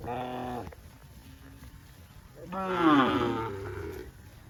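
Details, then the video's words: Cows on a cattle farm in green grass rice fields; a steady half-second moo, a quiet pause, then a louder, longer bellow that swells and falls over nearly two seconds. "COW SOUNDS"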